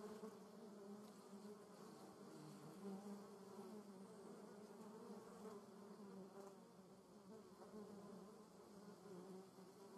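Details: Continuous droning of many German yellowjackets at the nest, a low steady buzz with flickering pitch as individual wasps come and go, unbroken for the whole stretch.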